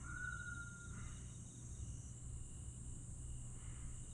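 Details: Grass insects at night in Aewol, Jeju, on 22 July 2022. A thin high insect drone and faint trills are opened by a brief clear whistled note, all over a low background rumble.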